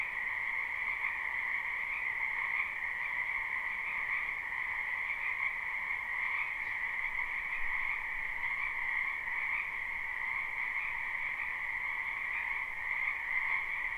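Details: Chorus of many frogs from a spring wetland behind a home, live recording: a quieter, uniform trilling drone in two pitch bands holds steady throughout, over a soft hiss of background noise.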